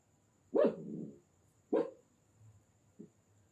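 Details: Indian desi dog puppy with two full, slightly rasping barks about a second apart, followed by a much fainter short yip, over a quiet background with faint low voices.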